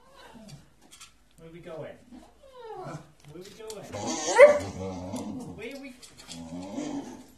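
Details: Young male Staffordshire bull terrier, one year old, impatient indoors while waiting to be taken for a walk; high, wavering whines rise and fall in short bursts amid a man's excited chatter about going walkies.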